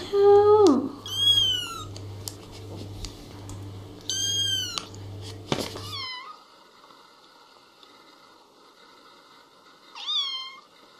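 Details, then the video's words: Kittens meowing, a compilation of little cats: a low falling cry opens, then several high arched, tonal mews a second or two apart, with a steady low hum under the first half and quieter drawn-out calls later. "Little kittens meowing and talking"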